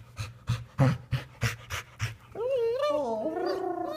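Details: Female Golden Retriever recovering from severed tendons vocalizing to an old friend of her owner as a greeting: quick rhythmic panting puffs, then a sustained wavering whine-like 'singing' tone with shifting pitch, owner's voice nearby.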